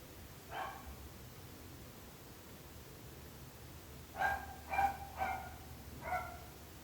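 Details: Barking dogs, a neighbour nuisance: one isolated mid-pitched bark, a long quiet gap, then four sharp barks in quick succession near the end over a faint low hum.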